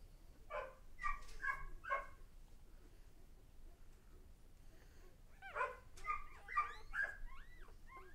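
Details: Newborn pups of Lexa's litter at one day old, giving short whimpering squeaks in two bursts separated by a quiet gap of a few seconds, the later bursts with rising and falling thin cries.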